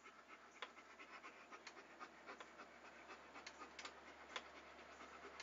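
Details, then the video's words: Steady fast panting from a dog, rhythmic breathy huffs several per second with occasional sharp clicks, over a faint low hum. "A Panting Dog ASMR"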